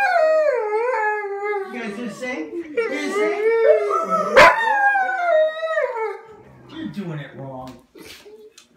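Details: Pups howling in overlapping wavering tones for about six seconds, with a human voice mixed in and the chorus fading into quieter whimpers at the end.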